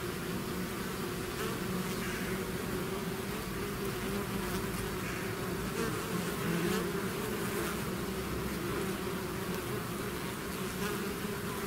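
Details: Bees swarming out of their hive create a thick, constant hum, stacked low droning tones wavering gently as many insects fly together, with occasional nearer wingbeats rising above the steady mass of sound.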